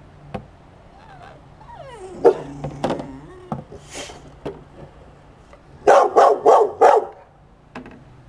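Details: Corgi, kept with a boxer, whines at an owl decoy in a window. Wavering, descending whines come early, then a rapid run of four loud barks.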